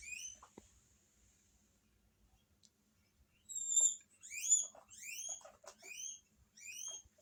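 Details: Pet guinea pigs in a Hokkaido household, responding to a strange guinea pig heard on television: one high rising squeal opens, then a lull, then roughly six piercing upward-gliding wheeks in quick series.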